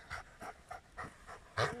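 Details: Giant schnauzer panting in quick, breathy huffs, six bursts roughly every third of a second, the last one louder and rougher.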